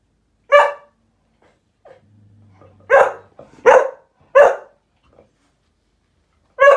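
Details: Cocker spaniels indoors giving short, sharp, harmonic barks, five separated bursts with pauses, plus a faint low hum between them.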